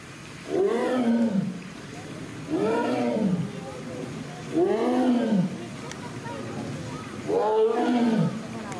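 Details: Young captive female Amur tiger at Hamamatsu Zoo, Japan, vocalizing after pulling a toy cone from the pool onto land; four loud rising-then-falling roars, each about a second long, spaced roughly two seconds apart.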